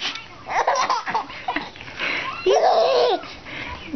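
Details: A five-month-old baby laughs in bursts of giggles and belly laughs indoors; no dog sound is heard.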